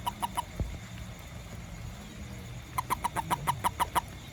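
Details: After rain, a small toad hunting ants near a house and garden calls in two bursts: three brief clicking notes, a pause of about two seconds, then a faster string of eight regular croaks, with low background hum.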